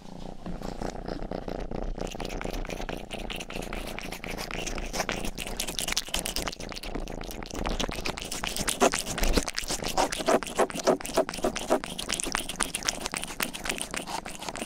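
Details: Rangi, a young pet cat, purrs close to the microphone while grooming; continuous low purring pulses about four times a second under busy wet licking and scratchy clicks that grow louder toward the end.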